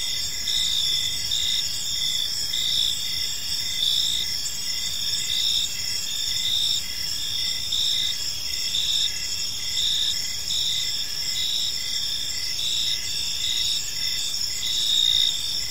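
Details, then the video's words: Crickets in a peaceful park as evening unfolds, producing an unbroken high-pitched trill and a row of short repeated chirps, steady throughout, with mild background rumble. "Cricket Sounds in a Peaceful Park"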